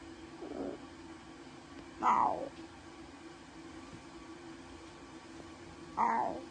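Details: Two newborn lion cubs, brother and sister, at Taigan; one faint mew followed by two loud, sharp squealing mews about four seconds apart against a constant background hum.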